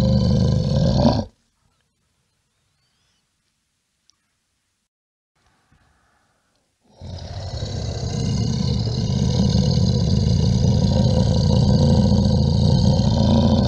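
A bear gives a deep, rumbling growl, a brief burst, then a long throaty roar after a pause.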